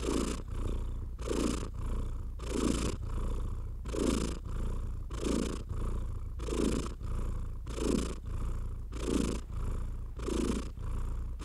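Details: Domestic cat purring as a hand strokes it, the deep even purr running constantly while swishing strokes of fur repeat about every 1.3 seconds in a regular rhythm.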